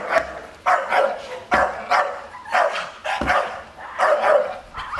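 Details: Staffordshire Bull Terrier guarding its garden as an unmasked stranger approaches. The breed seldom barks but does so at danger. Loud, sharp barks come in quick succession, about one every second, with short pauses between.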